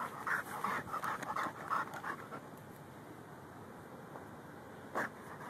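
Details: Rhodesian Ridgeback and Bull Mastiff mix dog digging for gophers in a yard, recorded on a phone: quick breathy panting in short bursts for about two seconds, then quieter, with one more puff near the end.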